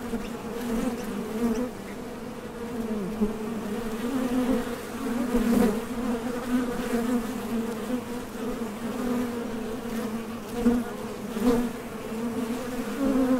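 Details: Buzzing of honey bees coming and going at a Top Bar Hive entrance as they fly out to gather nectar; a continuous layered low hum with small swells as individual bees pass close.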